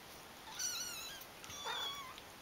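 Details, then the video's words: Kitten siblings mewing in high, thin voices: a wavering cry followed by a second mew that rises, then falls, all within a couple of seconds against a quiet indoor hiss. "So many brother and sisters kittens"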